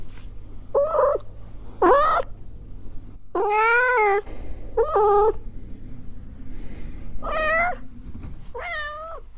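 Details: Cats and kittens meowing indoors, a run of clear harmonic meows, some short and rising, others long and wavering, about six calls with short pauses between them over a faint low hum.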